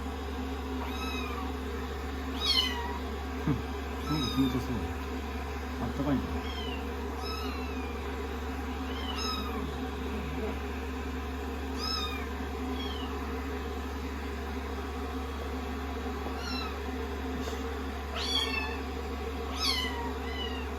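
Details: Rescued kittens nestle on a lap after a shampoo and blow-dry, sixteen days into their growth record. Many short, high, downward-curving mews come in irregular bursts over a steady low hum, with a person speaking softly.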